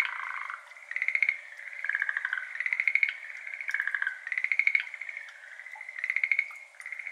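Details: Schlegel's green tree frogs, a Japanese endemic, call at dusk (6:53 pm) in May beside a flooded iris garden. Repeated bursts of fast, clicking pulse trains overlap from more than one caller, several per second-long phrase, with brief dips between bursts.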